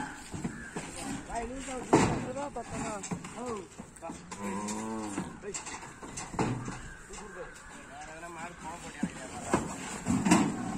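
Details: The new bull of the Palampakkam Sivalinga group gives drawn-out, low, harmonic moos, the loudest near the middle, with people talking around it and outdoor background noise.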